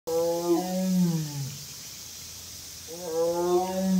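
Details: Mother Amur tiger calling at Hamamatsu Zoo, Japan, on 20 August 2022: two long, low, moaning roars with falling then rising pitch, each about one and a half seconds, separated by a short pause.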